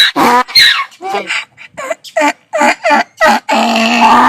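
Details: Braying donkey, a sound described as given when angry or afraid: a rapid run of rhythmic pulsed honks, about three each second, ending in a longer, steady, harmonic blare.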